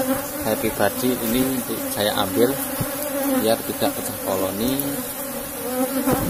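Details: Asian honey bees, a strong cultivated colony in a box hive, during a honey harvest: a steady low droning hum with layered tones, broken by clicks and knocks of handling, with a man's voice talking over part of it.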